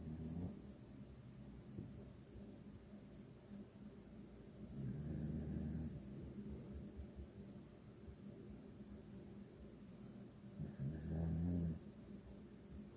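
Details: A sleeping male Dachshund-Pit Bull mix snores quietly, with deep rumbling breaths swelling roughly every six seconds.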